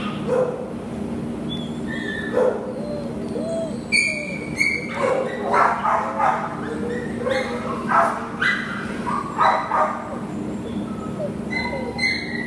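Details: Barking from Nala, an American Pit Bull Terrier available for adoption, recorded 10/1/2015: short sharp barks in uneven bursts, some high squeaky yelps, with a constant low hum beneath.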